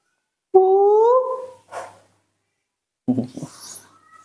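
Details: A female baby monkey calls in the morning with a clear, slightly rising whimpering coo, begging for milk as she does every morning.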